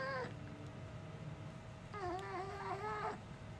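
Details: A dog named Uni, which does not say woof but sounds almost human, makes a brief cry and then a longer wavering, talking-like moan that dips and rises over about a second, with quiet room noise between.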